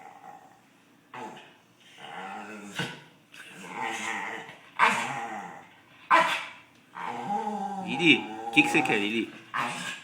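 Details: A pet dog asking for a snack with a string of growly, moaning, talk-like vocal sounds in separate bursts, rising and falling in pitch, with a person speaking now and then.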